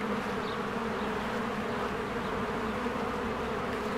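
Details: Spring beehive with honeybees flying around the entrance; an even, heavy buzz with a low humming drone, and a faint high bird chirp near the start.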